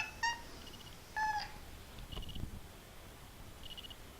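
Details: Pet kitten making playful, weird little sounds: two short, bright chirping calls about a second apart, each with clear overtones. Soft thuds follow, with faint high background chirps repeating steadily.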